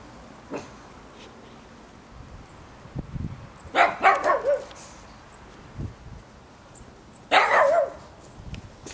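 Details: Pugs romping in the snow with little Lotte let out two short bursts of rough, yappy barks about three seconds apart, amid soft crunching and scuffling footsteps.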